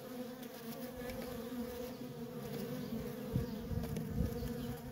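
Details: Steady hum from a busy feral honey bee colony with constant worker traffic: a low, even drone with overtones and a few louder close fly-by surges toward the end.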